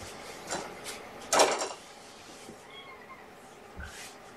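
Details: Sleepy kittens of a surrendered litter born November 22, indoors with their mother Olympia on the afternoon of 2018-02-13; a soft, faint arched meow comes after a loud rustling clatter, with quiet room noise throughout.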